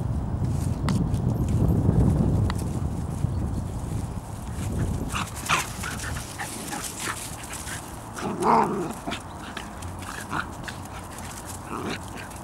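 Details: Out walking, the Bedlington Terrier mother Leya, registered Iris Blue Iskra, with her puppies from the Airy Step kennel; low rumbling handling noise first, then sparse thin yips and whines, one clearer squeal near the middle.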